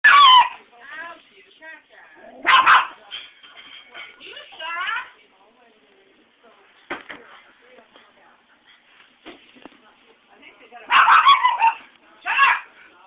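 A Maltese gives sharp, high-pitched barks in short bursts, with quieter stretches that may hold voices.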